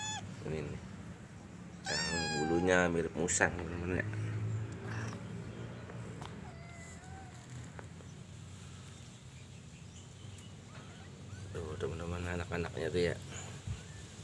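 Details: Persian cat that has had kittens: a burst of loud, bending meows early on, a long quiet stretch, then another cluster of wavering meows near the end, with human speech in the background.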